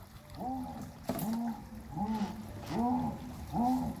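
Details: Jaguar (Panthera onca), roar.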